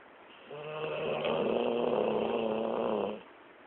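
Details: Lexi the dog snoring while asleep after a long day of play, one drawn-out rasping snore of about two and a half seconds, steady and fluttering with a low hum beneath, quiet room around it.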